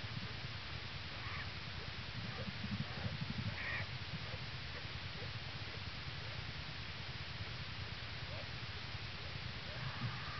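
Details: American black bear yearling Hope 'sings' to her newborn siblings, purring on top of mother Lily inside a winter den at the North American Bear Center, Minnesota, 22 January 2011. A dense low throbbing drone carries on, with a few short squeaky notes.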